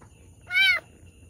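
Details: Single short, clear, high mew that rises then falls, from a cat in distress giving birth to two kittens, over quiet low background noise.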